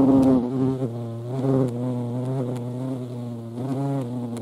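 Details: European hornet (Vespa crabro) droning close up, a low rich buzz that swells and sinks in pitch and volume several times, starting loud and settling slightly quieter.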